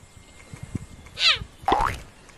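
A cheetah gives two short, high, chirping calls, the first sliding down and the second bending upward.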